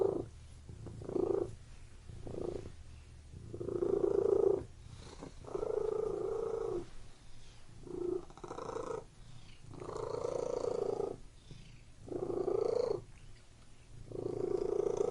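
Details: Cat purring inside a room, a continuous low vibrating rumble broken into repeated bursts roughly every second and a half, the phrases of uneven length with short silent gaps between them as the animal breathes.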